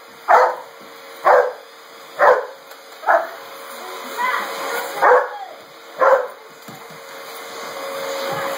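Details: Chocolate Labrador Retriever barking indoors at a running vacuum sweeper it treats as an enemy: loud sharp barks roughly once a second, with a steady mechanical hum throughout.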